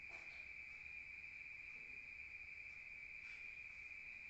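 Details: Crickets at night outdoors in the countryside: a steady high-pitched continuous trill with faint brief rustling.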